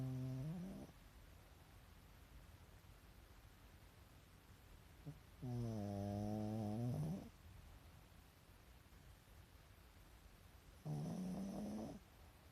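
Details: Sleeping Pekingese, a pet dog with eyes rolled back to the whites, gives rhythmic snores: buzzy, humming breaths that bend upward at the end, three heard and spaced about five seconds apart, near silence between.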